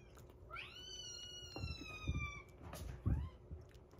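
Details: Rescued kitten indoors on day 47 of its growth record, alongside a kitten eating weaning food and a baby cat drinking milk; one long, clear meow rising then slowly falling over two seconds, followed by a short second meow and soft thumps.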